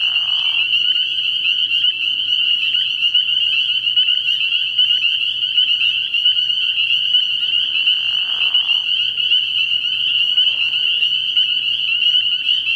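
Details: Early-spring night at a frog pond where a mass of spring peepers keeps up a shrill, unbroken piping chorus. Short lower, grating calls break in near the start and again around the middle.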